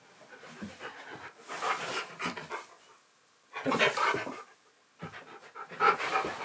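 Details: Asked repeatedly to sit for a biscuit, pet husky Keyush keeps arguing indoors: drawn-out, wavering, talky whines in three separate bouts, with pauses of silence between them.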